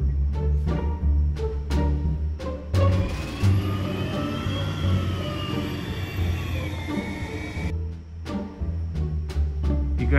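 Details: Dramatic music with heavy drum hits and a sustained swelling middle section carrying gliding tones, with no animal voice.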